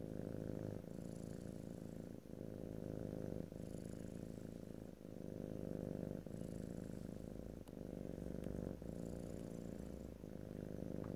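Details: Cat purring near the microphone, recorded in stereo without speech; deep, even rumbling in repeating breath cycles of about one to one and a half seconds, a few small clicks and airy breath sounds above.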